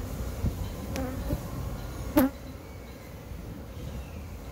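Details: Roughly 8,000 honey bees from a two-month-old hive being removed from a cable reel by a professional beekeeper. A thick, even droning buzz continues throughout, with a single louder close pass or bump about halfway through.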